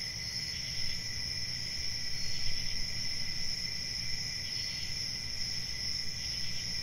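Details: Crickets chirping at night, a continuous shrill ringing layered in high bands, faint rhythmic pulses drifting in and out above a low background rumble.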